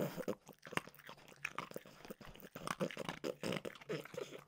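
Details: Mimosa, a French bulldog, snacking on peanut butter flavored dog treats in a small room, with continuous close-up mouth sounds: quick crunches, smacking and licking packed tightly together, hardly any quiet gaps.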